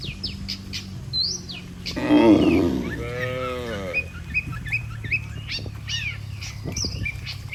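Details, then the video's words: Healthy cattle walking as a group toward their barn, led by a herder. One loud, long moo swells and then fades as a smoother harmonic tone over about two seconds, surrounded by scattered sharp bird chirps. "Suara Sapi Moo"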